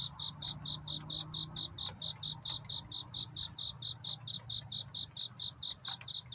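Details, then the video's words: Cricket song during a night of courtship, a regular train of sharp high chirps at a brisk, even pace, joined by scattered faint ticks and a quiet low drone. "귀뚜라미 울음소리. 슬퍼 말아요 우는 것이 아니라 사랑을 찾는 노래랍니다 구애의 밤"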